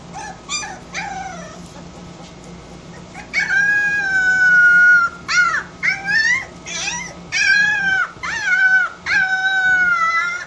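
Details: Porcelaine puppy talking to its mother: a few short yips, then long wavering howl-like notes with rich harmonics, rising and falling, in bursts of one to two seconds with brief pauses.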